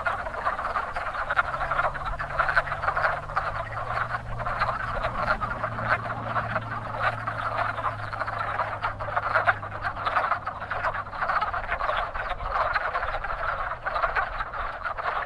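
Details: Wood frogs calling at a very active pond in spring breeding season: a dense, continuous chorus of overlapping clucking, quacking croaks from many frogs, with a steady low hum running underneath for much of the time.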